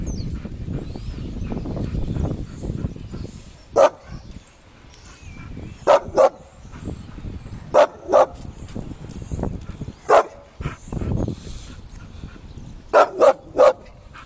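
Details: Two Bull Terriers, Bubbles and Joy, fighting: sharp, short barks come singly and in quick pairs or triplets, about nine in all over several seconds, between low rustling and scuffling noise.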